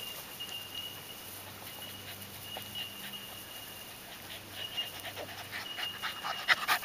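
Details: Lani's puppies, seven weeks old, at play with the adult dogs: soft hissing pants come in uneven runs, growing louder and denser toward the end, with a faint low hum beneath.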